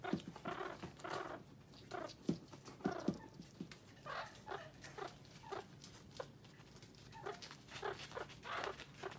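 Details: About 1-month-old meerkats in Moscow, Russia, squabble over a bell pepper one refuses to share, with rapid, scratchy chirps and squeals tumbling over one another; recorded May 14, 2018.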